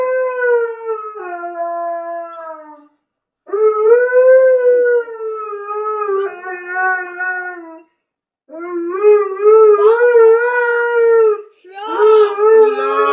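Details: A Siberian Husky howls on and on: long, wavering howls with rich harmonics, held for about three seconds each and separated by short silences. Later bouts quaver and bend more, ending in a rising, yelping wobble. No other sounds.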